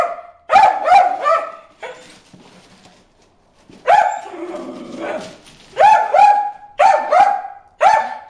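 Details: Bruce, a dog, barks at fish in the water hole with sharp, ringing yaps in doubled and tripled bursts, separated by a quiet stretch in the middle where faint low sounds linger.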